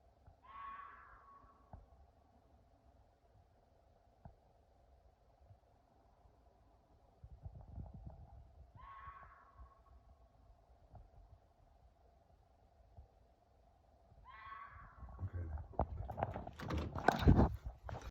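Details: Fox at night giving three brief hoarse, rasping screams roughly seven seconds apart over a constant low hum; loud rustling and handling noise takes over at the end.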